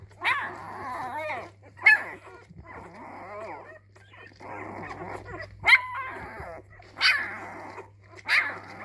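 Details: Young Labrador retriever puppy trying out its voice inside: sharp high yips separated by rough, growly grumbling stretches, the yips returning irregularly every second or two, over a faint constant low hum.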